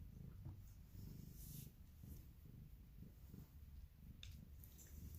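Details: Polydactyl house cat, a female said to make odd grumpy noises, purring close to the microphone: a continuous deep throbbing rumble in quick regular pulses, with light handling rustles.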